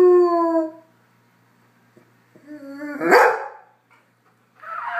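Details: A Goldendoodle howls along with a trumpet player, as it does whenever the trumpet is played. Long harmonic howls, the first steady, the next rising then falling, with a brief harsher burst and a final howl.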